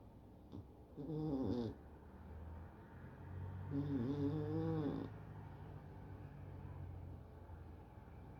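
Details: Exotic Shorthair cat lazing at the start of the weekend, its signature snoring heard as low rumbling breaths, with two louder harmonic snorts near one and four seconds in a quiet room.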